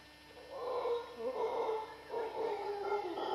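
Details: Costa Rican howler monkeys in western dry jungle roar in two long, gravelly surges, each rising and wavering, with only a brief dip in loudness between them.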